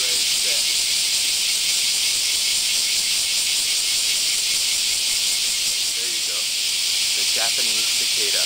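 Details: Many Japanese cicadas, called semi, heard at morning outside a home in Kansai, Japan, during July–August heat: a steady, shrill high-pitched hiss with a faint pulsing texture, a couple of spoken syllables near the end.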